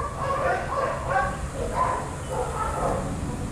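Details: Shelter dogs playing together at a daycare, short barks and yips overlapping in quick bursts, several voices at once, over a steady low background rumble.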